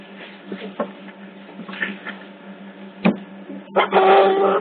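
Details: Young otters at Hertfordshire Zoo caught on hidden CCTV: faint scattered squeaks, a sharp click near the three-second mark, then a loud sustained whining squeal at the end, all over a constant low hum.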